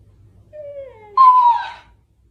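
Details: Dog in a funny pet compilation: a soft, falling whine is followed by a louder, higher, strained whimpering cry that lasts under a second, with a quiet indoor background.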